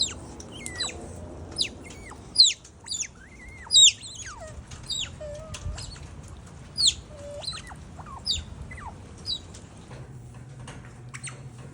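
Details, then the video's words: Otters give a run of high, whistled chirps, many sweeping down and then hooking back up, with sharp rising squeaks, coming in bursts of several notes, over faint background music. "The heart-melting sound of otters哼哼唧唧的水獭"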